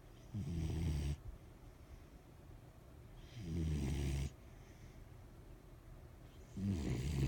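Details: Sleeping pet dog snoring: three deep rumbling snores, each lasting about a second, come roughly every three seconds with quiet breathing between them.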